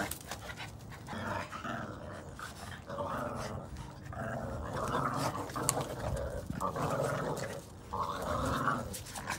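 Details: Red/brown Boston Terrier puppies playing tug of war over a chew ring growl in low, rumbling bursts during rough but playful fun.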